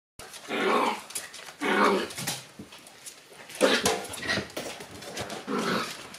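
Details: Shiba Inu barking indoors while digging, several harsh drawn-out vocal bursts about every second and a half, each rising and falling, with clattering and scratching noises between them.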